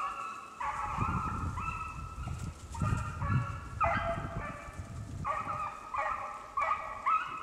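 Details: Beagles Daisy and Violet track a snowshoe hare on a hunt in the Allegheny National Forest, northern Pennsylvania, on snowless ground. Short, harmonic, honking bays come in irregular bursts over low rumbling background noise.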